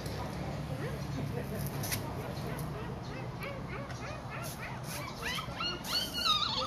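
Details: A Siberian Husky whimpers in short, high, rising whines that come faster and louder toward the end, over a low steady hum with human voices in the background.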